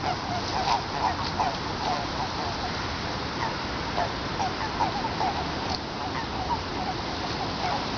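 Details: Many Eastern Japanese common toads croak together in a Tokyo pond on 23 February 2017 during the mating period: short, hollow notes repeated roughly three per second, overlapping and uneven, with hiss behind.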